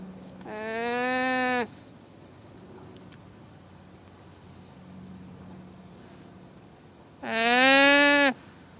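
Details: Two loud nasal llama calls, each about a second long and slightly rising, separated by a quiet stretch with a faint low hum.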